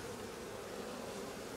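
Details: Honey bee colony with laying workers, frame of pollen being inspected at an open hive: steady dense buzzing of many bees, a continuous hum with a band near the low-mid range and no clear pauses.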